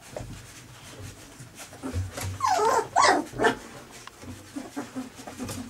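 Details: Three-week-old puppies squabbling over their mother's milk indoors; short whining and yelping cries that climb and fall, with a louder cluster near the middle and soft shuffling noises around them.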